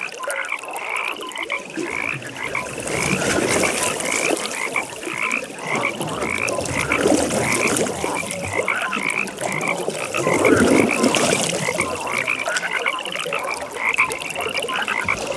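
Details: Frog chorus at a nighttime pond: many frogs croaking together, with a fast rhythmic pulsed trill repeating several times a second and louder harsh croaks swelling midway, over a soft watery background.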